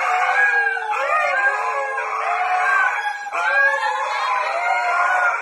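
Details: Husky howls rise and slide in drawn-out, wavering notes. Two fresh howls start at about one second and just after three seconds. Faint speech sits underneath.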